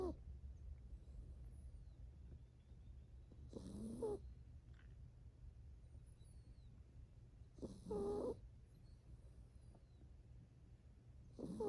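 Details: Seven-year-old female purebred toy poodle, a rescue, sleeping peacefully on a lap and snoring: soft breathy snores about every four seconds over a steady low hum, with faint birdsong from outside.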